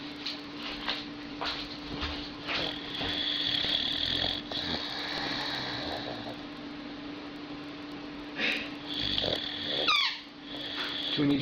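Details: Dog asleep and snoring loudly: a run of harsh, raspy breaths rising and fading over several seconds, then a squeaky wheeze near the end, with a steady background hum throughout.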